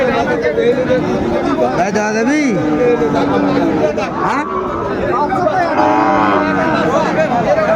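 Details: Sahiwal bull calf at a market in Kushtia, bought by a farmer on 2 January 2025, gives a short rising-then-falling moo amid loud crowd chatter, voices and background music.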